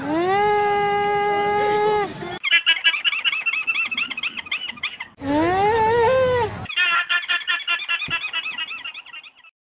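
Alpaca giving two shrill, drawn-out tonal cries, each about two seconds long, each followed by rapid, rattling, squeaky pulses.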